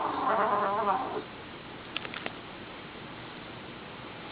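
A pit bull puppy gives a wavering, whiny grumble lasting about a second.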